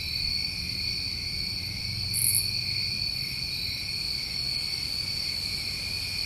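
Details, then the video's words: Many crickets of a New England summer night, a dense constant high-pitched chirring in layered bands, with one brief brighter insect buzz near the middle and a soft low background hum. "Over 1 Hour Of Tinnitus Masking With Crickets"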